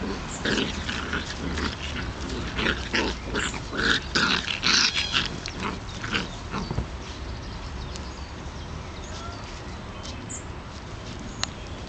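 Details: Four Irish Terrier puppies play-wrestling one last time before three of them leave for their new owners; rough, broadband growls and snuffly yips come in irregular bursts over the first six seconds, then quieter rustling over a steady low hum.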